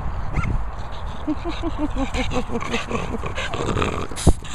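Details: A French Bulldog makes a quick run of low, rhythmic grunting pulses, about seven per second for two seconds, after a short sharp yelp. A person talks to the dog beforehand, and a brief click follows near the end.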